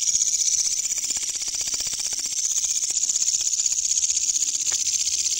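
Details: A katydid, found at night, gives a loud, continuous high-pitched buzz made of rapid, rasping pulses.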